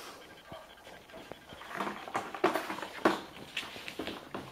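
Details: Five-year-old Golden Retriever grandmother in a puppy playpen in Haute-Savoie, France, October 2013, escaping her 8-week-old grandpuppies seeking milk; quick breathy panting bursts growing louder, indoors.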